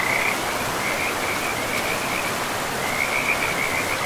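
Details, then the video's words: Frogs beside a river deep in a pristine forest of trees and moss-covered land, giving high, trilled croaks in short runs at the start and again near the end, set against a steady, loud rush of flowing water. "River and Frogs sleep sounds"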